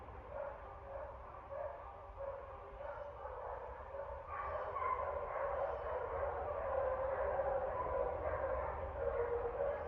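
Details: Barking dogs on 09.30.24, a continuous series of muffled barks and yips that grows louder and busier halfway through, several voices overlapping against a steady low rumble.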